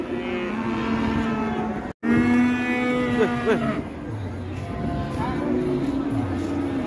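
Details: Moos from cattle as a raging cow is released; a long steady low bellow breaks off abruptly, then more drawn-out calls overlap with a deeper droning moo beneath, amid constant background noise.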